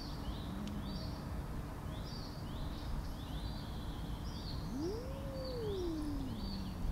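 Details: Tortoiseshell cat, angry and guarding the food bowl, gives a single drawn-out yowl that swells upward and then sinks over about two seconds, while small birds chirp continuously in the background.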